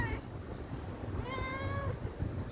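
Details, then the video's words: A stray cat asking for food gives one smooth meow of roughly two-thirds of a second, rising slightly then easing down. It is quieter, with a constant low hum behind it. "Talking stray cat for begging food"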